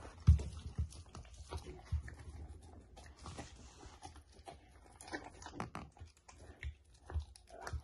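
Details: Samoyed chewing steamed chicken: quiet, irregular clicks of teeth and moist smacks, with light breathing between bites in a quiet indoor space.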